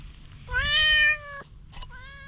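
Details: Stray cat showing strong wariness toward a person holding a grooming brush utters one long, even, wailing meow followed by a shorter, softer meow, recorded with a GoPro HERO8 against a faint low hum.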